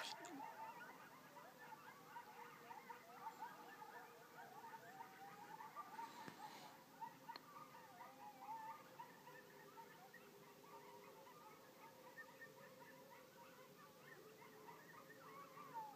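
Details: A chorus of many coyotes recorded on 17 October 2012, with tangled quavering howls and rapid yelps rising and falling continuously over a steady background hiss, one sharp click partway through.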